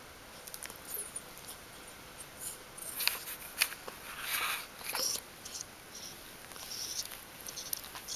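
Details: Newborn puppies from the G litter of a dog named Aris, indoors in their first four days of life, 1–4 October 2012: short high-pitched squeaks and whimpers in scattered bursts over a steady quiet room hiss.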